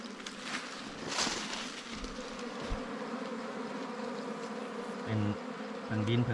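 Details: Ground-nesting wild bees found on a honey hunt give a continuous, low, humming buzz, overlaid with rustling and scattered knocks.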